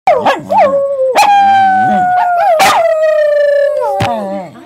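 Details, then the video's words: Pet dog 'singing': a long, steady, tonal howl held for about three seconds at a near-level pitch, opened and closed by short wavering yelps, with brief sharp clicks in between. "Singing Dog"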